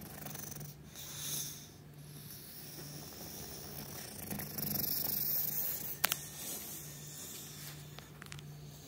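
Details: Meatloaf, an English Bulldog sleeping on a cushion and chair, snores softly, a low rumbling drone with breathy rasps on each breath.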